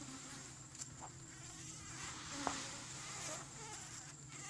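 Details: Thai cavity-nesting Asian honey bees stirring in a hive a little over a month old: a steady low droning hum with a soft high hiss over it, broken only by one brief tick midway.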